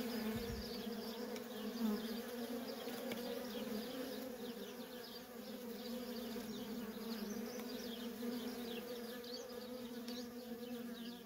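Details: Nonstop worker bee traffic at a feral honey bee colony gives a loud, steady, layered hum, unbroken for the whole stretch, while faint high twitters flicker behind it.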